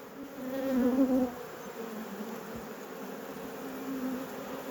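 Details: Hum of a honey bee colony opened during an apiary inspection. A continuous low buzz swells louder in the first second, then settles into an even drone with faint background hiss.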